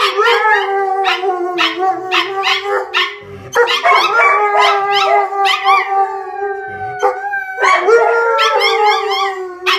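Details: Kalia, an Alaskan Malamute, joins her PomChi best bud Mikhos in a duet. A long, level howl holds underneath while rapid, quavering yodel-like yips pulse above it, briefly breaking twice before resuming with rising, warbling notes.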